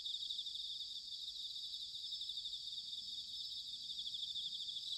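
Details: Bell crickets singing in autumn, recorded in Sanuki, Chiba Prefecture, Japan: a dense, steady high-pitched shimmering chorus of many insects trilling together without pause, with no other sounds.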